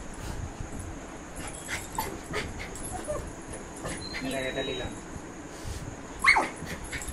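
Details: Dog, apparently named Puchi, so overjoyed at someone's arrival that it cannot contain itself: soft excited whimpers and whines, a thin high whine in the middle, and a sharp high yip near the end, over continuous Bengali speech.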